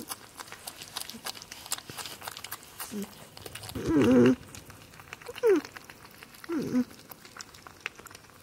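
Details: Captive porcupine named Spike making happy sounds while she eats on Halloween, alongside another porcupine, Chonkers; three short squeaky whining calls around the fourth to seventh seconds, the first strongest, over soft rustling and crunching.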